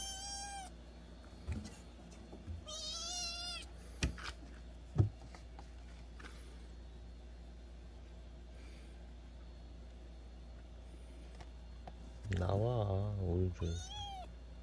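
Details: Kitten from a mountain village, adopted 25 days earlier at 55 days old, meowing while being called to eat; a high wavering meow near the start, another around three seconds, then a longer, lower, warbling cry near the end, with quiet indoor background.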